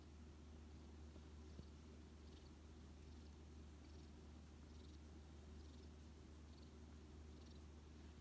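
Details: Odd-eyed white rescue cat Shaorin, taken in during autumn 2018, snuggles on a lap and purrs; a soft, even low drone runs unbroken, with small faint clicks scattered over it.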